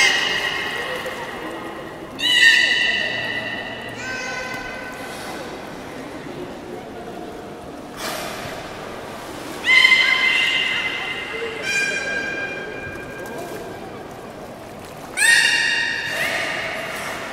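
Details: Beluga during the 13:30 public training at the Port of Nagoya Public Aquarium on 18 July 2016, uttering separate harmonic squeals and whinny-like calls every few seconds, with quieter hall murmur between them.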